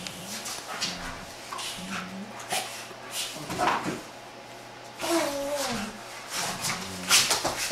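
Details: Giant Schnauzers roughhousing inside a house, young female Ice at 15 months and older Haanz: short moaning growls repeat about every second, then a louder wavering whine, with thumps, scrabbling paws and faint voices.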